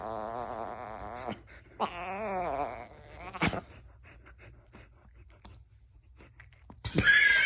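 A Chihuahua gives two drawn-out, wavering moans that warble up and down in pitch.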